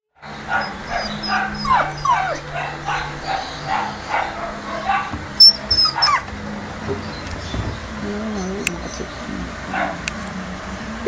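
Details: Female Japanese Spitz giving a run of high, whiny whimpers and yips, repeated about twice a second for six seconds, then quieter; a person calls to her afterwards.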